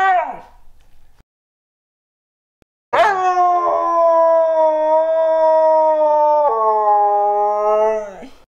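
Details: Husky howling indoors. A short falling whine comes first, then after a pause a long, steady, rich-toned howl of about five seconds that steps down in pitch partway through and fades out at the end.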